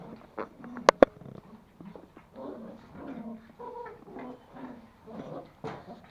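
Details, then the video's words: Two toy Pomeranian puppies, Pomo the male and Pomy the female, fighting over a sock indoors at home in Kathmandu, Nepal; bursts of short throaty growls and whiny grunts, with two sharp clicks early on. "Pomeranian puppies fighting for sock"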